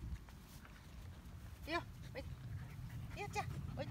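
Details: Medium poodle puppies, one month old, give short rising whimpers and squeaks, a few scattered yelps between low rumbling background noise.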